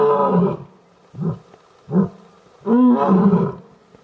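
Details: Lions mating in Gir National Park forest, Sasan Gir: deep grunting roars, a long one, two short grunts about a second apart, then another long, loud moaning grunt.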